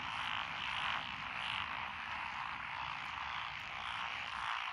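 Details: Frog chorus from lotus rice paddies along a country road in Echizen, Fukui, Japan, recorded 12 June 2021; Japanese tree frog, Tokyo daruma pond frog, wrinkled frog, Schlegel's green tree frog and forest green tree frog present. Dense continuous croaking wall, pulsing gently.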